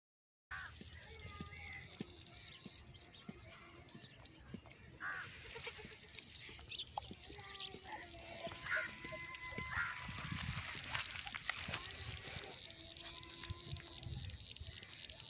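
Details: Baby goats, a playful pair, bleat in short harmonic cries through a busy, noisy scene, with several bleats clustered between eight and ten seconds and more near thirteen seconds, mixed with clatter and background voices.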